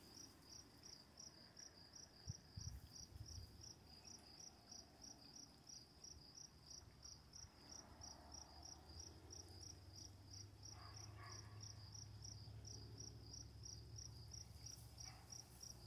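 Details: Crickets at night with running water, chirping in a steady high-pitched series of about three chirps per second over a constant low rush of water, with a brief dull thump early on.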